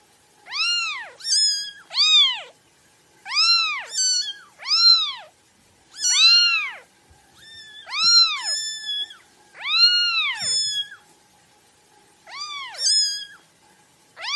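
A kitten gives high, thin meows, each rising then falling, often in quick pairs.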